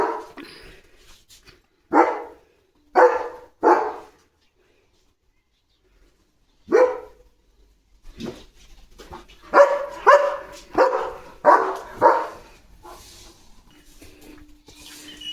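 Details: German Shepherd Leo guarding the gate, barking fiercely at a herd of sheep passing the house: single loud barks spaced about a second apart, a pause, then a rapid burst of repeated barks, recorded in a quiet indoor space.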